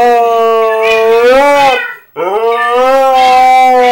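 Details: Two clear howls from a pet husky reacting to Minecraft cats, each held and gently wavering before the first drops away, then the second rising sharply and holding steady.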